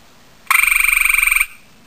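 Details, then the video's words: Single loud trill of a male gray tree frog calling to a female, about one second of rapid pulses, roughly twenty-five per second, musical and ringing, then near silence. "Male gray tree frog ( hyla versicolor ) calls to female"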